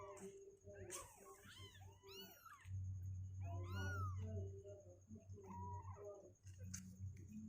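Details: Several kittens two weeks old, restless and trying to leave their box, mew in quick overlapping bursts of arched, squeaky calls, closely spaced, with a constant low hum beneath.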